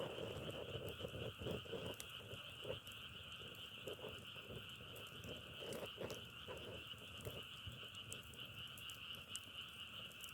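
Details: Frog chorus, compared to the sound of firewood burning, recorded outdoors while travelling: rapid, uneven bursts of low croaks, several per second, rising and falling above a continuous high droning chorus.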